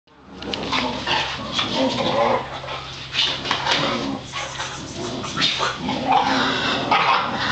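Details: Several Boxer dogs at home on a Sunday, worked up into rough play, give a steady run of harsh, breathy growls and snarls that barely pause, with scuffling and thumps underneath.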